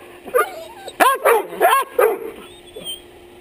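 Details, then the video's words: Dog barking close up at a chest-mounted action camera, its nose bumping the lens; a quick burst of four or five sharp, harmonic barks around one to two seconds in, with softer yips before and after. "DOG BARKS IN YOUR FACE!"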